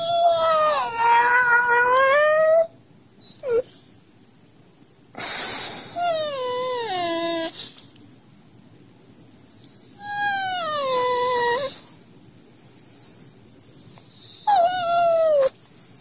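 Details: Husky vocalizing to rouse its owner from bed, maybe hungry: four long, drawn-out howling whines over sixteen seconds, each rising slightly and then bending down, rich in harmonics, with quiet gaps between bouts.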